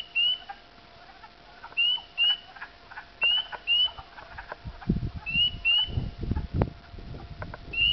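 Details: Spring peepers on a dark, late evening of April 5, 2010, on backroads of Dowling near Sudbury, Ontario, calling unusually early after warm weather: clear, high, upslurred peeps, several frogs overlapping in a steady chorus.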